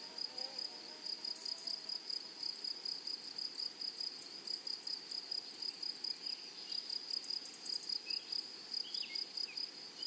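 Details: Meadow grasshoppers produce rapid, rhythmic bursts of high buzzing, roughly three pulses per second in a steady series over a continuous shrill drone. A few faint higher chirps come from other insects or birds.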